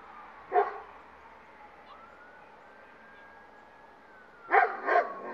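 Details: Dogs reacting aggressively to a police siren outside, rushing outdoors toward it: a short burst of sharp barks, then a rising and falling wail carried through, then two more loud barks.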